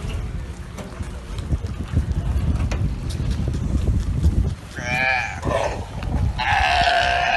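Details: On a barge taken over by Galapagos sea lions at the dock on Santa Cruz Island, Galapagos, a low engine-and-water rumble gives way to hoarse, wavering, burp-like bleats, one after another near the end.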